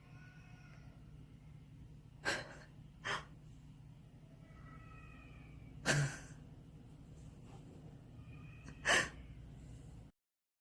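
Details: An eight-year-old pet beagle asleep indoors, snoring in short, breathy, snort-like bursts at irregular intervals of one to three seconds, with a quiet steady hum and faint tonal sounds in the background.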